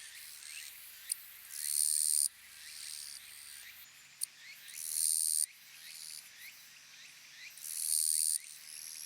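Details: A western Japanese katydid gives harsh, sizzling buzzes of under a second, roughly every three seconds, each led by softer ticking chirps. A steady low hum runs underneath.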